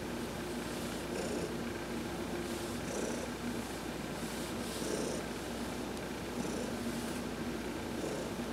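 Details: Domestic cat Heidi purrs steadily under a massage while sunbathing, recorded November 19, 2020; a constant rolling rumble, punctuated by light repeated rubbing sounds from the stroking.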